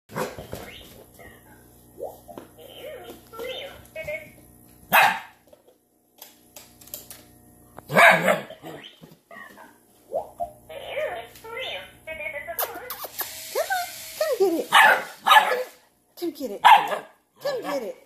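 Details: Alaskan Malamute puppies barking at a BB8 robot toy yip and bark in short, high, uneven bursts, mixed with woofy vocal whines.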